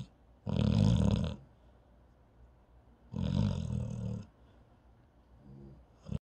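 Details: A paralyzed dog snoring in its sleep: two long, harsh, rumbling snores about three seconds apart, then a softer breath and the start of another.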